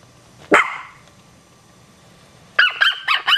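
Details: Chihuahua puppies barking: one sharp yap followed by a short tail, a second of near silence, then a quick run of four high, squeaky yips close together.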